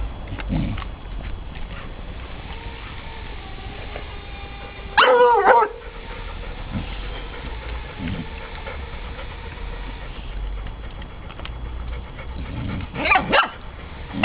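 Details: Indoor meeting of Ella, a 9-week-old Irish Soft Coated Wheaten Terrier puppy terrified of Otis, a 28-month-old Broken Tricolour Beagle; two short bursts of sharp, high yelps about eight seconds apart over quiet rustling and movement.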